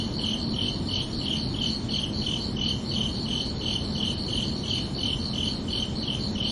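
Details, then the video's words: Evening cricket song in summer: high, tinkling chirps repeated at a quick, even pace of around three per second, continuous throughout, with muted low-frequency background hum. "Calming Cricket Sounds for Relaxation"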